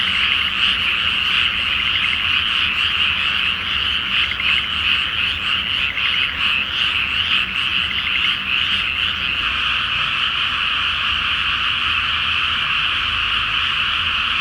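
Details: Frogs in full chorus at night over a flooded paddy field before rice planting, full moon, Japan: loud continuous croaking with pulsed trills, the texture smoothing into a steadier drone toward the end.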